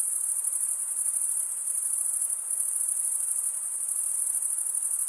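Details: Short stretch of cricket chirping, the stridulation of males rubbing wing against toothed wing, heard as a bright, sustained, pulsing high trill with no other noise.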